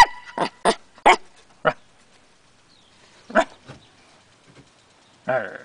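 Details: Young Corgi pup, eight weeks old, warming up to a new home and barking at the camera on a porch: a quick run of four high yaps, a pause, one more bark, then a brief drawn-out voiced sound at the end.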